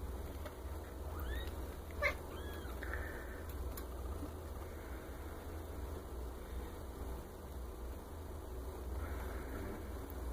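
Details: Maine Coon kittens only days old, from a litter of ten born at the end of March, make several faint, high, rising squeaks in the first three seconds, then go quiet against a constant low indoor hum.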